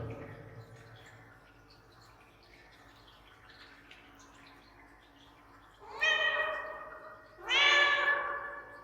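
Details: Domestic cat appealing for something, its voice given an added echo effect: after a quiet, murmuring stretch, two loud drawn-out harmonic meows come about a second and a half apart, each bright and slightly falling at the end.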